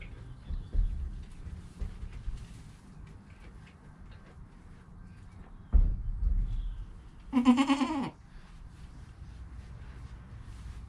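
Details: Newborn goat kid Joel, within an hour of birth beside his calm mother Penny, recorded on a GoPro; after quiet low rumbling, one clear harmonic bleat of under a second rises out near the end.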